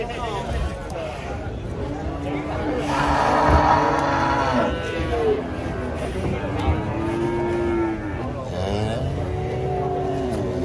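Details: Giant female cow going berserk while being loaded under a tree. She gives long, drawn-out harmonic moos, first loud and strained, then lower, wavering bellows. Voices and a steady background hum run underneath.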